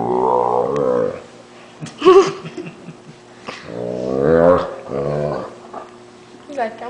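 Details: A Great Dane lets out long, low, wavering groans that rise and fall like a bellowing moan, likened to a water buffalo, while someone pretends to bite his paw.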